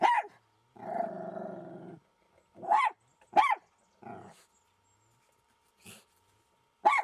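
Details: Jack Russell Terrier confronting a fox, an encounter that ended without a scratch: a few sharp, upward-arching barks separated by gaps, with one low, rasping growl lasting about a second near the start.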